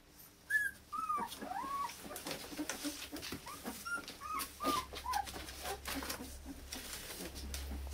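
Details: Indoor litter of Akita puppies born 16 November in Hungary, sired by Japanese-born Kotono Go; a series of short high-pitched whines and squeals, some falling, over a low hum.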